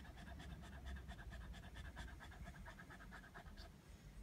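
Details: A hot Border Terrier sunbathing outdoors and refusing to come in, panting steadily in quick, breathy, irregular puffs over a low rumbling background.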